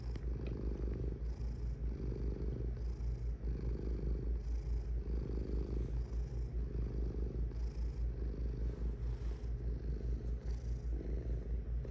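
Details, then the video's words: Cat purring: a steady, low, pulsing rumble that swells and eases in breath cycles about every second and a half, with no other clear sounds. "Purring Cat"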